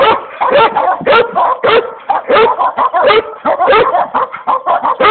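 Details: Komondor named Boci barking in a rapid, steady stream, sharp bursts coming roughly four per second for over five seconds with barely a pause between them.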